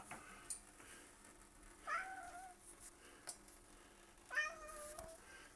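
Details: Domestic cat indoors chittering at birds outside a window, the birds then flying away: two quiet bending chirp-like notes a few seconds apart, with faint room noise and soft clicks.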